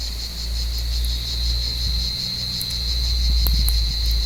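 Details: Cicadas in an olive tree on a warm evening, hunted by climbing cats; their continuous high, even buzz runs throughout, with low rumbling and a few brief rustling clicks beneath it.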